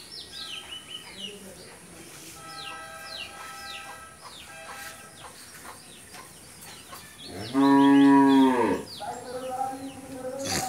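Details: Friesian cow, nine months pregnant with her first calf, in Bangladesh: one loud harmonic moo of about a second near the eighth second, then a shorter lower call, over earlier chirping birds and faint speech.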